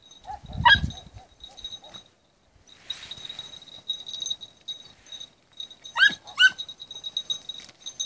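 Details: A 20-week-old red-bluetick beagle on night hare-hunting practice gives one loud yelp, falls quiet, then gives two sharp rising yelps near the end, over a constant high insect drone and faint rustling.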